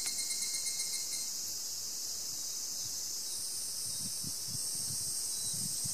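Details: Forest insects on Mount Takamine, near Obaku in Uji, produce a continuous high shrill drone whose tone shifts slightly midway, accompanied by soft low thumps and rustling in the latter half.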